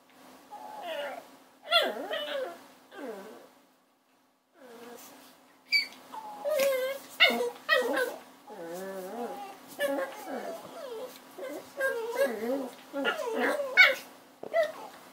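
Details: Puppy whining and yelping indoors in a series of short, wavering, high-pitched cries rising and falling, with brief pauses between bursts and a quiet gap near the fourth second.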